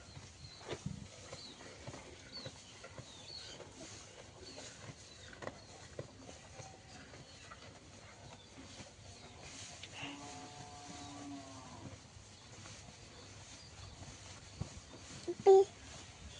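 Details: Limousin cattle giving one steady, drawn-out harmonic moo lasting about two seconds midway through, set against quiet rustling background noise with a few scattered knocks.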